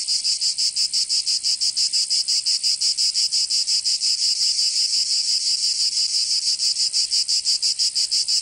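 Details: Many cicadas in Provence, southern France, singing in summer: an intense, high-pitched rasping drone with regular throbbing beats roughly three per second, unbroken for the whole stretch.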